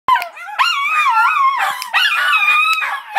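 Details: Schnauzer singing: loud wavering howls with rich harmonics, rising and falling in pitch, broken by short breaks and sharp clicks.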